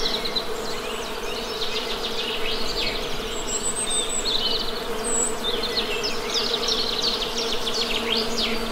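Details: Continuous low hum of honey bees in nature, even and unbroken, overlaid by frequent quick high bird chirps and short trills.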